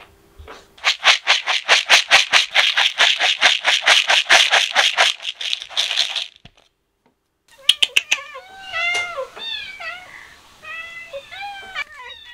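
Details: Kittens excited by the smell of chicken: a fast rattling clatter for about six seconds, then a burst of short, high, urgent meows overlapping one another.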